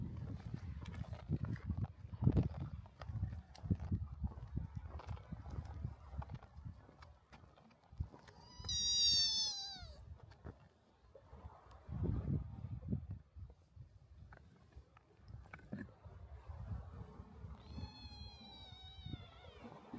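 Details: Cats on a Japanese cat island, resting on a seaside breakwater with kittens playing by the shore; two drawn-out, falling, harmonic meows, one near nine seconds and another near eighteen, over steady low rumbling outdoor background and scattered clicks.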